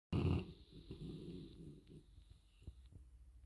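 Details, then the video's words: Sleeping dog snoring hard indoors: one loud, rough snorting breath at the start, trailing off into softer wheezy breathing and faint rattles. "Dog snoring hard."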